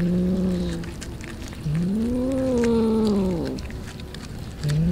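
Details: Street cats feeding on raw fish. A low, long, rising-then-falling yowling meow is framed by shorter low meows at the start and end, over steady background noise.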